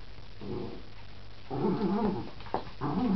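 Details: Miniature Schnauzer play-fighting indoors with a Maine Coon cat using a toy frog; low rumbling growls in two sustained bursts, the second longer and rougher, with a brief rise and fall near the end.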